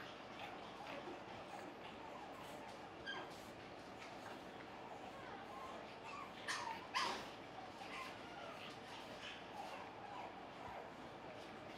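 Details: Finn, a playful male fawn AKC Pug puppy, at play: a few short, high yips cluster around the middle of the stretch, over a low steady room hum with faint background voices.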